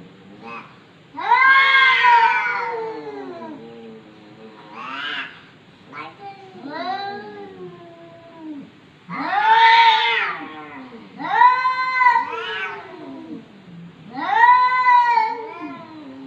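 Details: House cat that seems to talk, from 2020: a rapid string of varied meows and yowls, some short and chirpy, others long and wavering, bursting out every one to two seconds.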